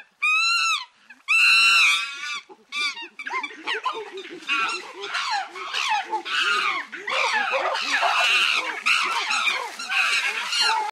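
Chimpanzees give loud, harsh, rising hoots and screams that build into an overlapping chorus.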